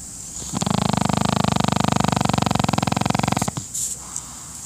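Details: Pekingese dog snoring while napping: one long, loud, rattling snore of rapid buzzy pulses lasting about three seconds, with a soft breath and a faint rustle afterwards against steady room hiss.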